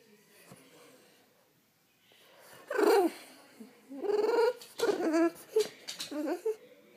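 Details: French Bulldog waking its owner makes a run of grumbling, talkative vocal bursts after a quiet start, several short rough moans and yelps clustered over the last few seconds.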